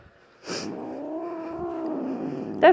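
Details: Grumpy female pet cat, usually calm, growling for a long time before nail clipping: a sustained low moaning growl with steady banded harmonics lasting about two seconds, opening with a brief sharp onset and ending in a short higher sound.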